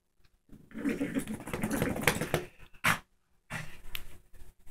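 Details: Female Shih Tzu growling while attacking a new toy, teaching it who's boss; a rough, rumbling growl held for about two seconds with a few short scuffling bursts and a sharp snap near the end.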